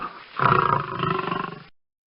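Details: Lion. A lion lets out a brief, deep roar, rough and throaty, with a rapid pulsing rhythm through its length. The sound swells quickly, wavers, then tails off after about a second and a half.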